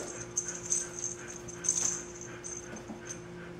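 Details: Puppies on day 27, dirty and waiting for their baths, give thin, high squeaky whimpers in short bursts, several within under four seconds, over a steady low indoor hum.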